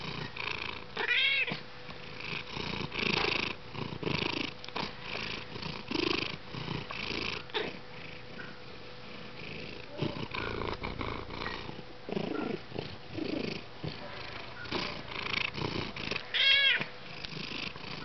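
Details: Garçon, a cat who loves to purr and express himself, purrs steadily. A pulsing rumble follows his breathing. Two short chirping mews break in, one near the start and one near the end.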